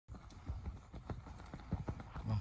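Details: Purebred Lusitano gelding, seven years old, making clip-clop hoof sounds: a short run of dull, low thuds at uneven spacing against a quiet background.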